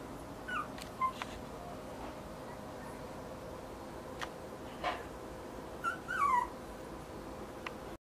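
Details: A 32-day-old male long-haired Kaninchen Dachshund puppy, chocolate and tan, born June 2015 in Kagoshima, Japan, gives short, high, downward-sliding squeaky whimpers: a pair near the start and a quick cluster of three near the end, with faint clicks.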